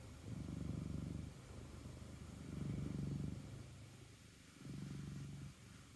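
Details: Moss, a Norwegian Forest Cat from Hungary living in Switzerland, speaks to birds. The low, pulsing, purr-like rumble comes in three swells of about a second each, with a steady hiss underneath.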